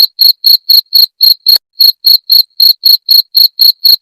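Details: Cricket chirping, a sound said to drive rats away; sharp high ringing pulses roughly four per second, with one brief gap near the middle before the steady rhythm resumes.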